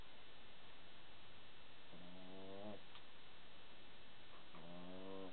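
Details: Pet dog asleep on its back with paws in the air, snoring: two drawn-out, harmonic, nasal snores about two and a half seconds apart, low and quiet, in a still indoor room.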